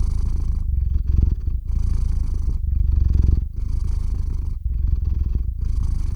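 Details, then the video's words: Sleepy domestic cat Theo purring on a RODE NTG-3 microphone through a ZOOM H6 recorder; low rumbling purr in slow breath-paced cycles of about one second each, fairly even and continuous. "Кот мурлычет на микрофон и засыпает/The cat purrs on the microphone and falls asleep"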